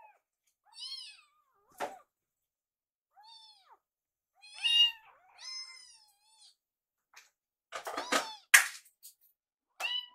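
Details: Rescued foster kittens, one called Yuki, waiting at a microwave for their meal, utter scattered high-pitched meows, some arching and some short, with a loud clattering knock near the end.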